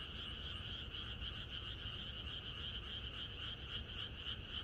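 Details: Many frogs croaking in chorus in the countryside on the night before rain, a dense continuous mass of rapid pulsed croaks with a bright band of calls, steady throughout, over low rumbling background noise.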